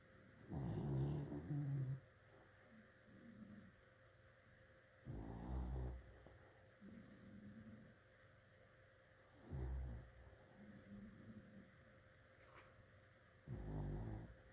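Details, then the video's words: Snoring from a sleeping dog: four loud low rasping snores about every four seconds, each with a softer wheezy exhale in between, set against a quiet steady hum. "Dog snoring"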